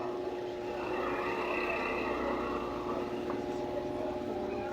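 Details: A steady droning motor sound dominates throughout, with no animal voice standing out.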